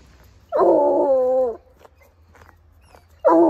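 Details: A coonhound on a walk howls once it catches a scent: one full-throated, slightly wavering howl lasting about a second, then quiet with faint noises, and the start of another loud howl at the end.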